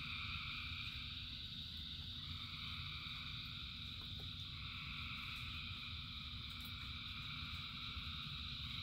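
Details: A vast frog chorus in rain gives a steady wall of high, trilling notes in several layers, with faint brief clicks, all set against a continuous low hiss and rumble of rain.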